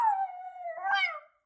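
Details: Puppy talking back as if protesting unfairness after a command to sit: a long whining howl sliding gently downward, then breaking into a rougher, rising grumbling yelp before fading out.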